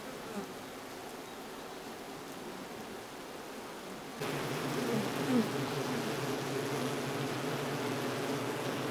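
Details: Japanese honey bees in an open-air colony that halted its swarm and abandoned the queen it had been raising; a steady, dense hum of many wings that grows noticeably louder and fuller about halfway through.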